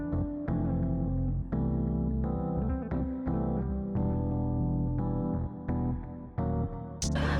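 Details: Piano or electric keyboard music plays throughout, with sustained chords and a strong low bass line. No animal sound can be picked out beneath the music.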